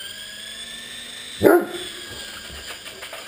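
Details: A Great Dane barks once while playing with an RC helicopter, a single deep bark over the constant buzzing whine of the flying toy.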